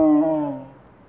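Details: Male Amur (Siberian) tiger at Hogle Zoo in Salt Lake City, Utah, possibly calling to brothers separated after a rough fight; a single short, tonal, moaning call that dips slightly in pitch, then fades over about half a second.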